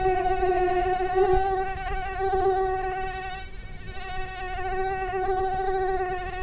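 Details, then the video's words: A mosquito's continuous nasal whine, with an even, tonal hum that drifts gently up and down in pitch and swells and fades a little as the insect moves near. "SONIDO DE MOSQUITO"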